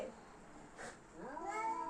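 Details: Domestic cats in a fight give a short, rising then wavering yowl with bright harmonics in the second half. A soft murmur of background noise fills the quiet start.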